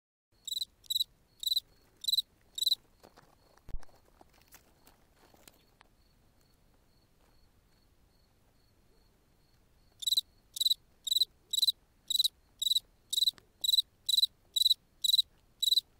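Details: Cricket singing at night in the Ukrainian steppe: loud high chirps in evenly spaced bursts about twice a second, a pause with faint rustling in the middle, then the chirping resumes.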